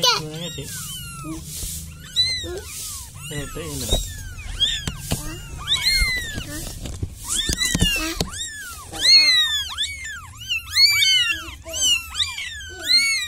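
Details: Village cat calling out as if asking for help; a dense run of high, arching meows, several overlapping, repeating irregularly about every two seconds, over a low background hum.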